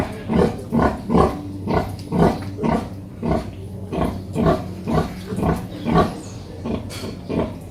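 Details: In a noisy family of a mother pig and her piglets, a pig gives a steady run of deep, rough grunts, about two every second.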